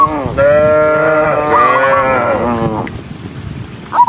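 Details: Cows running in a large group along a rural road; one long, drawn-out moo of about two and a half seconds with a slight rise and fall, then quieter background.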